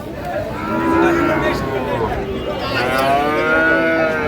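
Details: At a Chattogram cattle market in Bangladesh on 7 March 2025, Sahiwal bull calves give a couple of long, low moos that swell and fade, with murmuring buyers and a busy outdoor hum behind.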